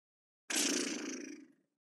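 A reindeer gives one harsh, breathy grunt lasting about a second, then fades away.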